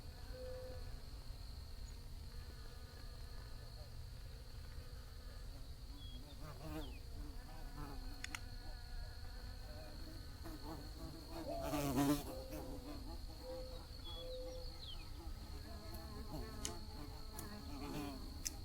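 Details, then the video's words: Bees in flight give a low, uneven hum, mostly faint. One insect passes close around the middle with a brief louder burst of buzzing. Quieter buzzes drift in and out over a steady high whine and low rumble. "Bees Buzzing Sounds"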